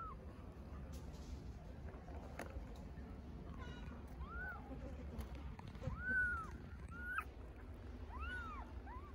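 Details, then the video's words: Hungry little stray kittens in Istanbul meowing for their mother cat: a few high, arched meows after four seconds, some with faint harmonics, over steady low background rumble. "Hungry little kittens meow for mother cat"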